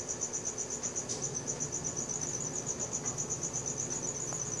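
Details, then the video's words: Crickets chirping after dark, recorded by Samsung Galaxy S4: a bright high trill pulsing roughly four times a second without pause, a brief faint tap early on, low ambient hum below. "CRICKET SOUNDS | RELAXING SOUNDS OF NATURE AT NIGHT"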